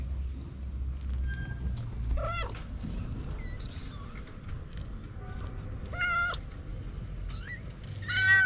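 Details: Homeless white mother cat and her four kittens: scattered meows, some short and faint, a clearer harmonic one near the end, under steady low background noise.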